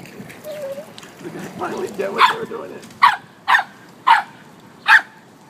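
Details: Samoyed and Chow puppies at play near water; soft whines and human speech give way to five sharp, loud barks spaced roughly half a second to a second apart, with faint background murmur.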